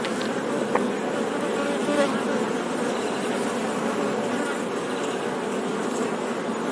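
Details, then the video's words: Honey bees droning in an even, unbroken buzz of stacked low tones; a couple of brief faint clicks stand out near the start, otherwise a steady hum throughout. "Bee Sound 🐝 | Sonido de Abeja | मधुमक्खी की आवाज़"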